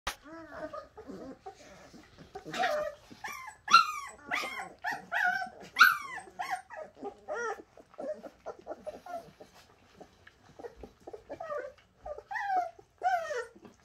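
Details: Bernese Mountain Dog puppies, the Shasta puppies, whining and squealing together in overlapping, wavering high cries that rise and fall, with short yelps scattered through and brief quieter gaps.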